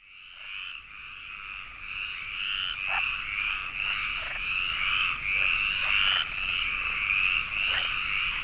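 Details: Frog chorus at a pond, recorded in a search for the protected Iberian tree frog in the Landes forest of Aquitaine, France: dense overlapping rasping croaks forming a continuous bright band, with a thin steady high insect-like whine coming and going.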